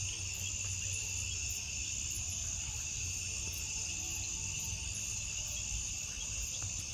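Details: Crickets at night in a forest setting, a dense, unbroken high-pitched chorus of steady trilling that holds level throughout with no pauses, over a low rumbling background.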